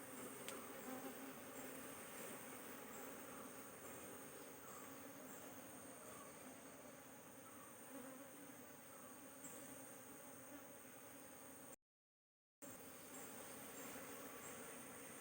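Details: Continuous humming of honey bees at the hive during queen cell handling, a low, even drone with a rough, shimmering grain and no pauses, broken only by one brief dropout near the end.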